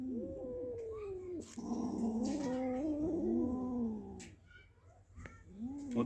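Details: Pet cats with a freshly caught big mouse utter overlapping moaning yowls and growly wails, sliding up and down in a tense exchange. Music plays, with a few thumps.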